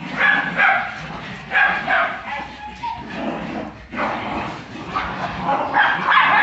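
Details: Barks and yelping yips from a Jagdterrier in Brazil, loud and irregular, coming in quick bunches, mixed with excited human speech.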